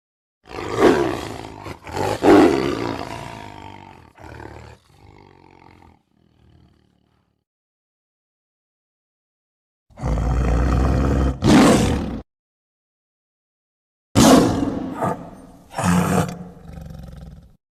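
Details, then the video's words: Tiger roaring twice, loud and harsh, then trailing off into grunts; after a long silence come two more pairs of rough roars. "Tiger Sounds"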